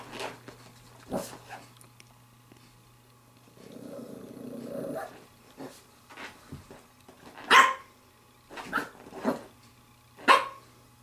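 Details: Female Pembroke Welsh Corgi puppy, 7 weeks and 6 days old, playing with a glove: a low rumbling growl, then several short, sharp high barks and yips spaced about a second apart, with faint electrical hum underneath.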